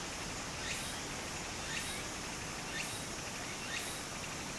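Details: Cicada voice in Japan during summer near a brook; four evenly spaced upward-sliding buzzy notes, about one each second, above a soft wash of stream noise.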